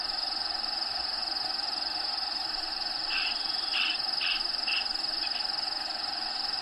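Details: Crickets inside a bearded dragon vivarium, alongside the pet dragon Diego, with natural habitat sounds playing in the background: a steady, unbroken high-pitched trill throughout, joined midway by a handful of short, lower chirps spaced about half a second apart.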